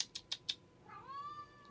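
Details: A pet domestic cat at home: four sharp clicks open the moment, then a drawn-out meow rises and holds steady, still sounding when it cuts off.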